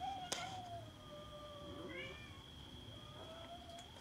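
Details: Cats squabbling over food give softer meows, one falling, one rising then dropping and a later drawn-out one, with a sharp tap at the start and a faint steady whine behind.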